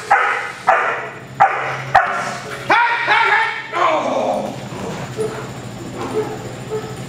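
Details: Cody, an eight-month-old sable male German Shepherd being developed as a protection dog, gives sharp barks about every half second for the first three seconds. Softer vocal sounds and a steady low hum follow as the barking fades.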